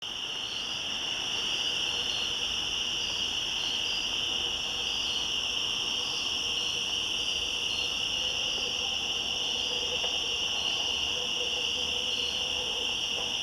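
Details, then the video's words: Cicadas calling to each other in woods at the top of switchbacks, recorded 1 September 2014; a dense, steady high-pitched drone with a second shimmering band above it runs unbroken throughout, a faint lower hum beneath. "Cicadas Yammering At Each Other In The Woods"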